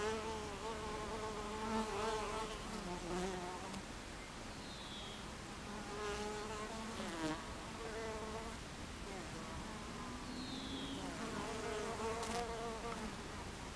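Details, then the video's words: Honey bees crowd a beehive entrance on a July 2013 afternoon, their constant hum layered with separate fly-bys that glide up or down in pitch; a couple of faint high chirps sound in the background. "Beehive Entrance Bees"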